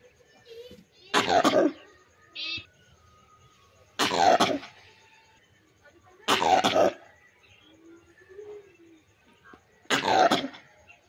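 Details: Langur giving harsh, coughing barks, four loud broadband bursts spaced roughly every two to three seconds, with faint bird chirps and soft rustling in the quiet gaps between.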